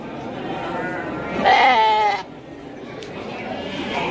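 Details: Garut sheep kept as breeding stock at Andir market in Bayongbong, Garut, gives one loud, wavering bleat lasting under a second, with a steady harmonic tone, over a background hum of market chatter.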